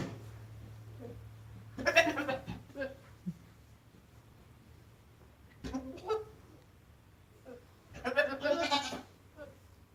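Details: Single goat giving three separated bursts of rough, quavering bleating with quiet gaps, a faint low hum underneath.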